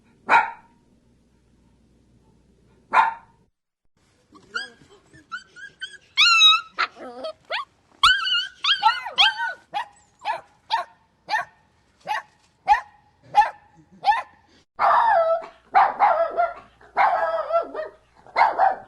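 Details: Dog giving a run of high, whining yelps with wavering pitch, then short sharp barks repeating roughly every half second, growing denser and harsher toward the end.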